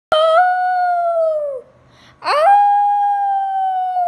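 A Shih Tzu gives two sustained, tonal howls, the second starting with a sharp upward yelp.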